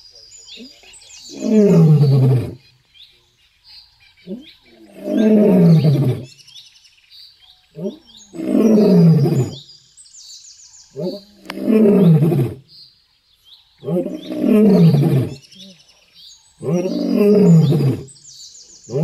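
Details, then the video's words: Lion roaring on a road: six intense, loud bouts, each a deep rasping roar about a second and a half long that slides downward in pitch, repeated roughly every three seconds with near-silent pauses between. "Lion Roaring Sound on Road | Intense Roar Lion Sound | शेर की दहाड़ / गर्जन"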